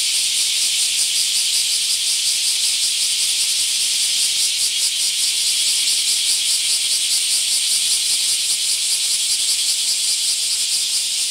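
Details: Mass emergence of bear cicadas filling a park in Akashi, Japan, with a steady wall of shrill, rasping buzz, pulsing roughly two to three times a second and never pausing.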